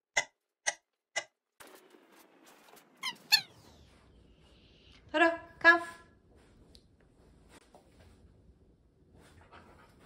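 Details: Totle, a Cardigan Welsh Corgi at home in a mischievous mood, ignoring his owners' commands: a few sharp clicking taps, then two or three short, tonal yelping whines with rich overtones, followed by quiet room sound.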